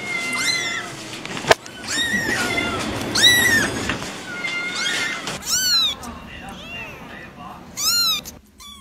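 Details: High kitten meows, several brief arched cries, mixed with murmuring voices and background noise, with a sharp click early on.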